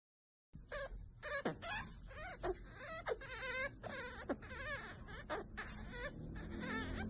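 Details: Chihuahua puppies whimpering and whining: a rapid run of high, wavering squeals and short yelps, one after another for several seconds, over a low rumbling background.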